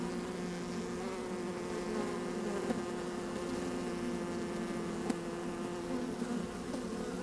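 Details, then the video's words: Inside an opened beehive on a sunny day, honey bees at work produce a constant low drone with clear harmonic bands, occasional faint clicks and a light breath of wind. "4K Open Beehive - One Hour Video and Audio"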